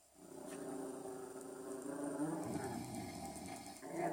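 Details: Maggii, a pet dog kept indoors, growls at her owner's snoring: a low, rough, continuous rumble holding steady for about four seconds, rising slightly in strength toward the end, with no other voices.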